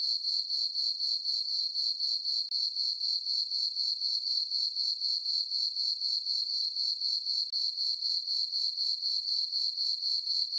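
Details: A steady chorus of crickets chirping at night in a meadow on a farm under a full moon, thin high-pitched pulses beating about four times each second without pause, no other sounds.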